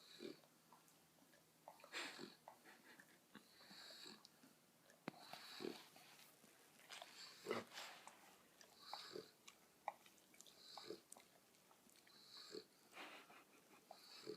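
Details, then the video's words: Pet dogs indoors making weird noises: soft snuffling, wheezy breaths and short squeaky whines in irregular bursts, with brief clicks and rustles in a small room. "Dogs make some weird noises"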